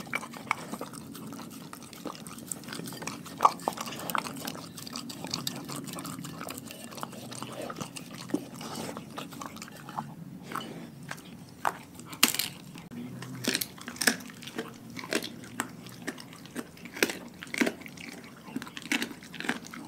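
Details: Pack of dogs eating a raw food diet: scattered sharp crunches and wet, smacking bites spaced irregularly over a low, steady background, with a cluster of louder snaps toward the second half.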